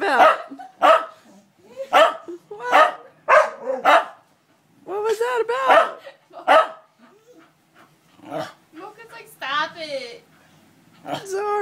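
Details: Several pet dogs howling indoors together, started by one dog missing its owner; a run of short rising yowls repeated about every half second, then longer wavering howls and brief yelps.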